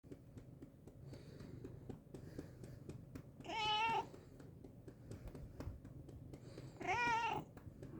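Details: Domestic cat meowing indoors: two drawn-out, wavering meows with rich harmonics, each lasting about half a second, about three seconds apart, over a low steady room hum.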